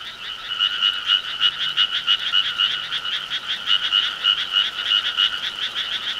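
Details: Frogs in the summer countryside calling loudly, a dense chorus of rapid rasping pulses repeated about three times a second, steady and continuous throughout.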